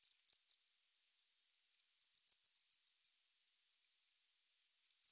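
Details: Tropical house cricket from Starnberg, Germany, 19 November 2021: short bursts of high, clicky pulses, three at the start, then a quick run of about eight, separated by silence, with another burst at the end.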